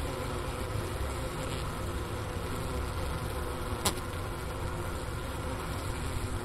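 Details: Wintering honey bees in a hive on Ohio State University's Wooster campus, January 16, 2024, near 4 PM at 15°F, recorder set beside the inner-cover hole and sugar brick remains; an even low buzz with layered tones and one brief click.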